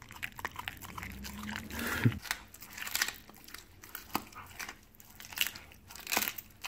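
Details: Raw chicken bones being crunched by a Siberian Husky as a reward. Brief low rumbling rises under the bites around the second second, then scattered sharp cracks and chewing continue indoors.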